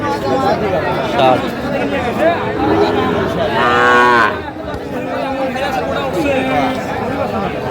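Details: Sahiwal bull at a busy cattle market, bought by a farmer from Comilla, recorded 10/5/25; a deep, drawn-out harmonic moo rises out of steady crowd chatter and bargaining voices, with brief music before it.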